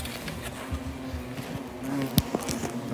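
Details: European hornets attacking a man as he works on their nest: a continuous low humming buzz with faint higher overtones, plus a sharp knock and rustling handling noises near the end.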